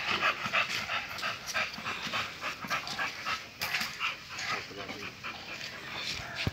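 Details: Panting from a male American Bully of the Bulsky line, offered for stud: quick, breathy huffs at roughly three per second, irregular in rhythm, with a person speaking softly in the background.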